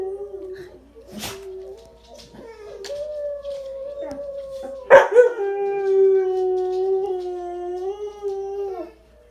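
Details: Blaze the dog starts with scattered clicks and faint sounds, then breaks into a sustained howl at about three seconds that rises briefly and then holds a level, slightly falling tone until near the end.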